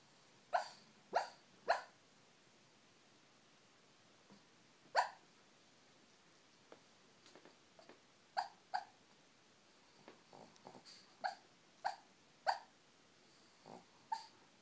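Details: A female Shih Tzu gives brief, muffled yips and squeaky hiccup-like sounds in her sleep, scattered irregularly with pauses, while dreaming.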